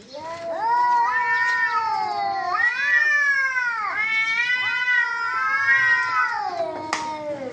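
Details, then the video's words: Cats fighting with loud, close yowls in repeated arching swells, each rising then sagging, nearly continuous for seven seconds, ending with a sharp click. "Cats Fighting with real sound"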